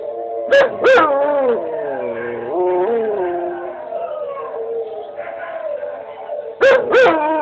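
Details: Domestic dog talking back to another dog's recording with a sustained howl, tones bending and wobbling between sharp yelp bursts at the beginning and end, the howl fading gradually in the middle.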